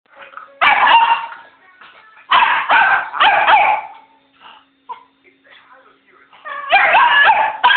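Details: A dog barking at a man: loud, harsh barks in short bursts, two or three at a time with pauses between, mixed with a person's voice and faint background sounds.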